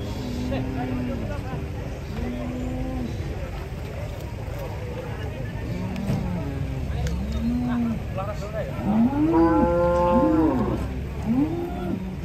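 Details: Several cattle unloaded from a truck in Indonesia, giving a series of short, low, arched moos at irregular intervals, one louder drawn-out moo near ten seconds, over steady engine rumble.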